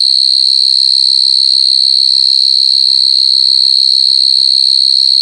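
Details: Coconut crickets crying: a steady, piercing high-pitched trill held without a break, made of very rapid even pulses, with faint low thumps in the background.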